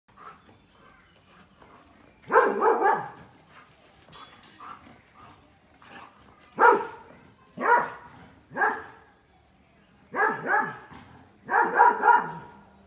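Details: Puppy barking in bursts, several sharp barks spaced a second or two apart with short quiet gaps between, some barks doubled or clustered together.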